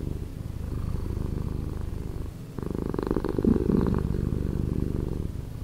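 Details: A pet cat's purr, slowed, rumbling low and evenly pulsed, dipping briefly before a stronger, richer phase of the purr.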